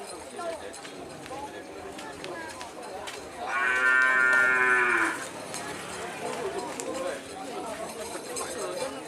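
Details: Madura cattle at Kerapan Sapi bull racing on Madura, East Java, Indonesia, a trained, specially cared-for racing bull from Sapudi island; one loud, rich, drawn-out moo lasting about a second and a half, over steady crowd noise and chatter.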